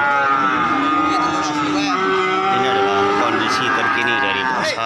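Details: Cattle mooing at the busy Wagiran cattle market in Pati on 4 May 2019: drawn-out, droning low calls with stacked overtones, one sliding slightly upward, over steady crowd chatter and people talking close by.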